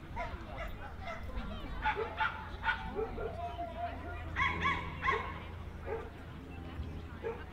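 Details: Jack Russell Terrier at the Jack Russell Terrier Club of NSW Speciality Show, 15 October 2015, Orchard Hills; several short, bright barks in two groups, the second louder, against a background of human speech and indoor noise.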